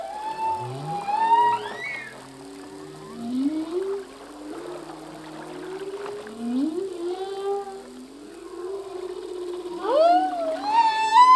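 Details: Humpback whale male song, the kind that changes each year as new phrases are learned: a chain of rising low moans and short grunts, with bright whistled upsweeps at the start and end.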